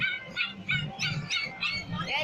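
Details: Two-month-old Lhasa Apso puppy giving a rapid run of high, whiny yips, about six short cries in two seconds, each with bright layered overtones, over a low steady background hum.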